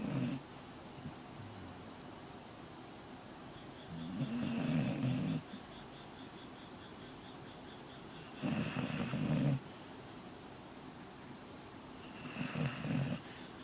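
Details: A sleeping pet dog snoring: low, rough, rattling breaths in three bursts about four seconds apart, each lasting about a second, with quiet room hiss between them.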